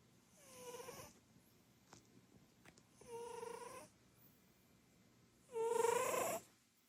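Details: Sleeping plump Munchkin cat on a sofa, its snoring loud enough to be heard from the dining room; three harmonic, slightly falling whistly snore bursts, the last the loudest, separated by soft pauses.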